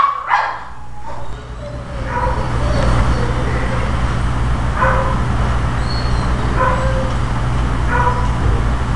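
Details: Pekingese dog barking angrily at its own itching tail. It gives short, sharp, high yaps roughly once a second, some doubled, over a steady low mechanical hum.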